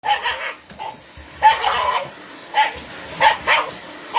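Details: A white Shiba Inu, kept on a home deep in the mountains, barks at a vacuum cleaner: short, sharp, ringing barks in uneven bursts, about six in four seconds, with a faint steady hum behind.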